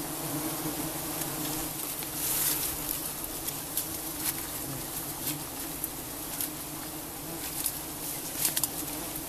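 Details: Many giant honeybees hum during honey harvesting, a thick unbroken drone holding one low pitch. Sharp high ticks and taps are scattered through it.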